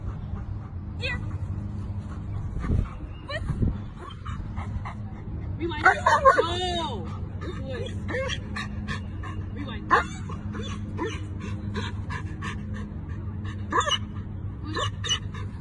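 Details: German Shepherd giving a burst of high, wavering whines and yelps midway, with scattered short yips after, over steady low engine hum and a person's voice.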